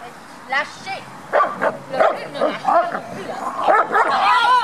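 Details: Nine Beauceron puppies, seven and a half weeks old, out on a walk: a rapid run of high, arching yips and whines packed closely together, rising toward the end, with human voices talking throughout.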